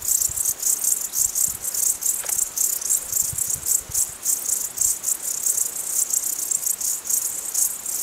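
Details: Crickets in the mountains: dense high-pitched pulsing chirps in rapid repeated bursts, several a second, forming a steady shimmering chorus with a faint click.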